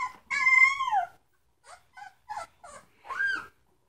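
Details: Three-week-old Samoyed puppies: one long, steady whine bending slightly downward, followed by several short, soft yips and a final rising-falling whimper in a quiet room.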